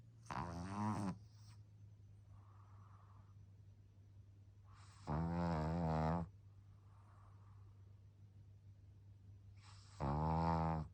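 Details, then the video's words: Young pug puppy asleep indoors, snoring in three loud, rough, harmonic bursts about five seconds apart, each roughly a second long, with softer breathy exhales between them. "白眼&いびき&チュッチュ まだまだ赤ちゃんなパグ"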